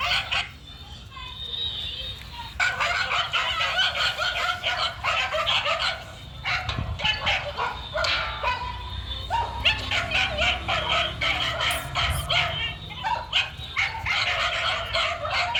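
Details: Male dog named Hiên, running and being called back, gives dense runs of sharp, bright barks and yips, several per second, with a short lull partway through and a person's voice calling nearby.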